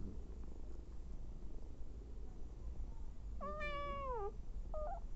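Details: Nursing mother cat with hungry abandoned kittens: one clear drawn-out meow, slightly falling at the end, then a brief faint squeak, over low rumbling background.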